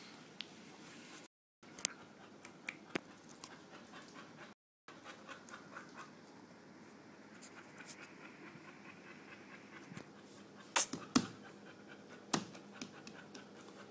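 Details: Boxer dog lazing beside another dog, breathing in quick, breathy, rasping pants about two or three per second, steady throughout, with a few sharp knocks and clicks near the end.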